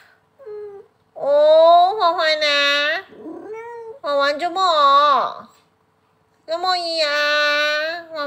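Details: Paralysed pet cat giving loud, long, wavering meows, several in a row with short pauses, some stretched and bending downward, while a person talks to it in Chinese.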